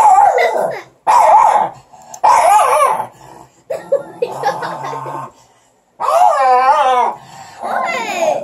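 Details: Several Morkie puppies squabble over one stick, producing loud harsh growls and a long, wavering high-pitched yelp near the end, overlapping human voices.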